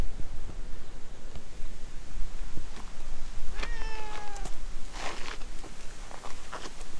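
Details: Stray cat chatting in cat language while being petted, later climbing onto a lap; one long, level meow lasting about a second, followed by soft rustling and handling noises against a constant outdoor hiss.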